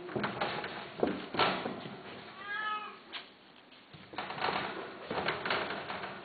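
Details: Cats offered for sale, one giving a short rising-falling meow midway, indoors in a small room amid handling noises and rustling.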